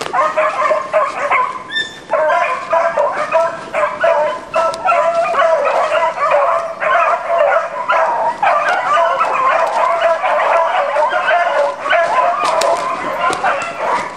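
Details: Pack of beagles hunting roe deer, driven with sticks; many dogs give loud, overlapping yelping barks and bays in a continuous excited chorus.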